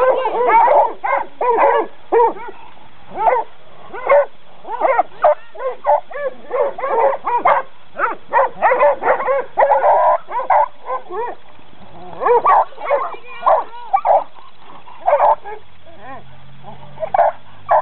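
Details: Coonhounds in training give a rapid run of short, sharp barks and yips. Bursts come in quick clusters for most of the stretch, with a few brief pauses. A person's voice is faintly heard near the end.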